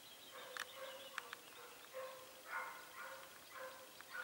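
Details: Segugio Italiano hounds, short-haired and rough-haired, hunting hare at Sofiko, Evros, Greece, on 18 October 2015: distant, echoing baying bursts come roughly twice a second, some short and some drawn out, over a soft outdoor hiss.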